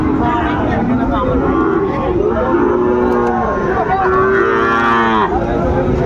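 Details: Sahiwal bull calves at Ambari haat, Dinajpur, 14 March 2025, as the market opens. Two wavering, bowed moos sound about two seconds apart under dense talk and bargaining crowd noise.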